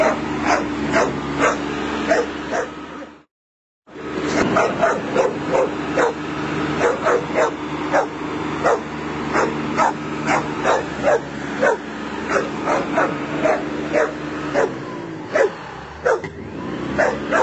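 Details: A Bull Terrier, trying to intimidate a lawnmower, barks in rapid, sharp bursts against the mower engine's steady drone.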